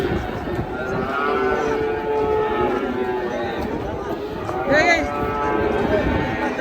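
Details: Very large cattle being unloaded from a truck to be weighed, one giving a short, strained moo near the end over steady background music and crowd noise.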